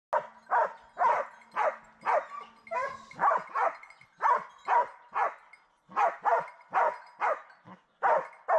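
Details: Hounds in wild boar hunting training barking in a rapid, irregular series of sharp barks, several dogs overlapping, with a faint steady hum underneath.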